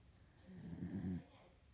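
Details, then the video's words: Asleep indoors, a female corgi gives a single deep, grumbling snore, a low rattling breath of under a second, set against a quiet room. "Corgi snores"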